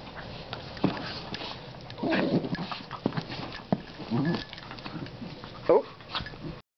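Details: Two foster Dachshunds in their nightly wrestling play, one a double dapple with sight problems, give low rumbling growls, snuffles and a few short yips in bursts.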